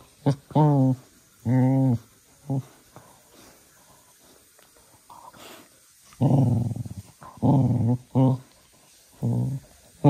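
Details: Manfred, a young cocker spaniel, during evening playtime at ten at night: short harmonic growling bursts, rough and low, in several rapid runs with brief gaps between them.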